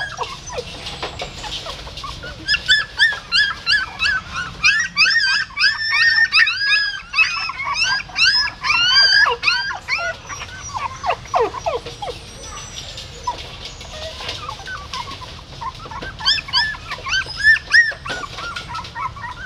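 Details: Squealing of newborn puppies as a female dog moves them by mouth from a pagoda stupa in Siem Reap; rapid chorus of thin, bending whimpers, loudest between three and ten seconds, then sparser cries.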